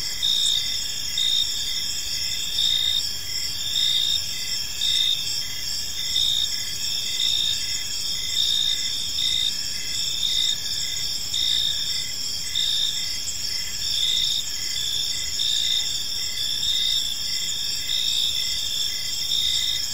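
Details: Crickets chirping in a park in the evening, a dense chorus of high, steady trilling bands with pulsed chirps repeating about once a second, several insects overlapping over faint low background noise.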